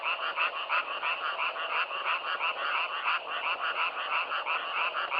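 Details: Frogs calling, self-recorded in nature: a dense, continuous chorus of overlapping nasal croaks with rapid pulses roughly three per second, a steady pulsing din with no other sounds.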